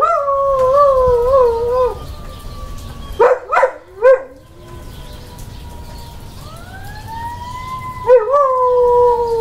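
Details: Sasha, a female dog howling along to fire trucks: a quavering, undulating howl, then short yelping rises, a lull where a siren sweeps upward, and a new howl at the end.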